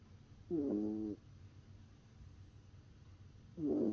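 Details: Shiba Inu puppy Momo sleeping soundly in an owner's arm, snoring in squeaky whistled bursts: two half-second nasal tones about three seconds apart, like breaths, over a quiet low hum.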